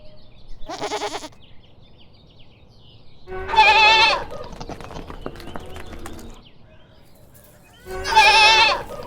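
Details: Goat bleating three times: a short, thin first cry, then two louder, quavering 'maa' calls. The calls come several seconds apart, with faint rustling and clicking between them.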